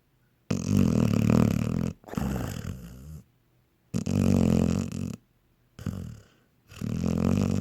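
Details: Honey, a dog fast asleep, produces long, loud snores lasting over a second each, deep vibrating rumbles with a rough, breathy edge and clear pauses between breaths, in a small room.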